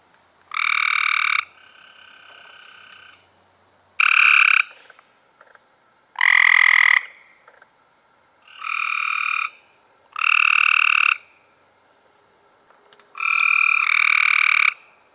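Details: Cope's gray treefrogs calling in May 2016, six bursts of short buzzy trills spaced one to three seconds apart, with overlapping calls from neighbouring frogs and a softer trill running beneath the first.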